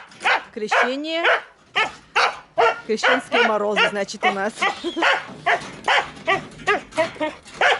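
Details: Female Siberian husky in heat, living in a village, where her howling is heard every night. Short harmonic vocal bursts repeat about twice a second, with a drawn-out rising wail near the start and a wavering howl midway.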